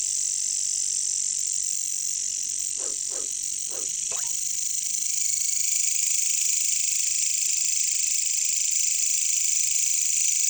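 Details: Jungle ambience of caricangkas, the bush crickets or katydids. Their unbroken high shimmering drone fills the whole stretch, while four short low croaks bunch together around the middle.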